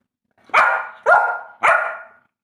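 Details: Labrador Retriever barking three times in steady succession, about half a second apart. Each bark is loud and rough with an abrupt start and a trailing fade, over a quiet background.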